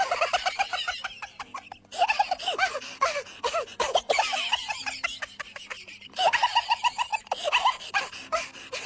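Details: Persian kitten being put to nurse from a cat that is not its mother, giving rapid high arched mews in quick bursts of several per second, with a brief pause near two seconds and sharp clicks and rustling throughout.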